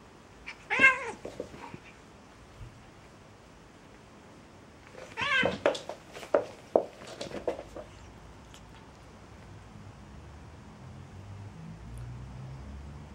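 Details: Domestic cats fighting: a sharp yowl near the first second, then a burst of harsh, wavering screams and short cries between five and eight seconds, trailing into quiet room noise with faint low rumble.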